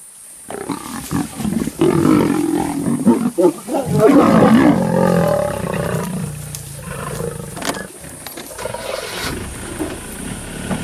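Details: Kambula pride sub-adult lions, twelve animals, mauling a male leopard on safari at MalaMala Game Reserve; loud sustained snarling and rasping growls over several seconds, fading into choppy grunts, with faint human voices nearby.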